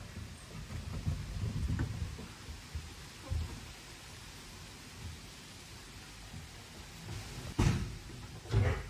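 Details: Low rumbling background noise with scattered knocks and two sharp thuds near the end, and no animal voice.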